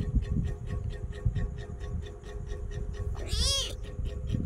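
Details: Kitten being petted and chattering; mostly low rumbling and faint pulsing background for three seconds, then one short bright meow near the end that arches up and down.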